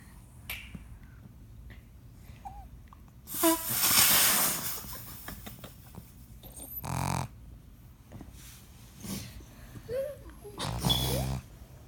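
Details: Sleeping female pug snoring at home: loud rasping snorts in bursts, a long noisy one early and several shorter wheezing breaths later, with quiet pauses between.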